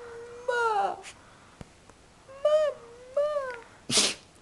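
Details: Phoenyx, a sleepy, tired puppy being coaxed indoors to 'talk', gives four drawn-out whining yowls that rise then fall, each under a second, ending in a short noisy burst like a sneeze; a woman speaks softly nearby.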